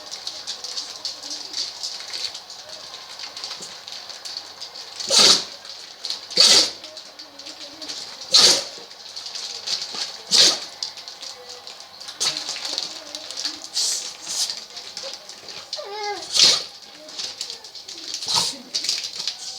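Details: French bulldog sneezing again and again, unable to stop: sharp, explosive bursts spread across about twenty seconds, several loud ones a second or two apart, over a steady high hiss with quieter background noises.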